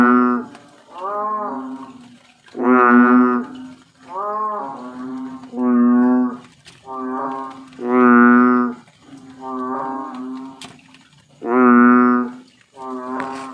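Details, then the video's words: Bullfrog giving deep, cow-like lowing croaks, each a rich harmonic note about a second long, repeated roughly every one to one and a half seconds, about ten calls alternating between stronger and softer notes, with no other clear sounds. "BULLFROG sounds like a cow"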